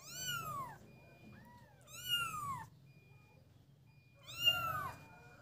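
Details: Kittens at play: high meows falling in pitch, one soft short mew, then two more drawn-out meows, with near silence between them.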